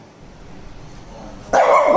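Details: A Shih Tzu fighting with a balloon lets out a single sharp, loud bark after a moment of near silence.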